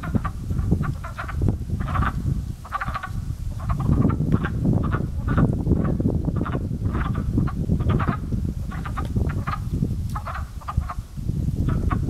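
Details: Pond frogs waking in early spring, with a crow-like chorus: clusters of rapid, raspy clucks repeating every second or so, many callers overlapping, against a heavy low rumble of wind.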